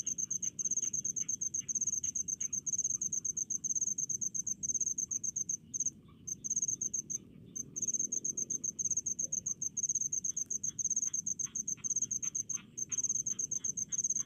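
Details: Crickets calling in rice fields, a steady high-pitched pulsed chirping in rapid bursts with brief pauses, over a low background hum and faint scattered clicks.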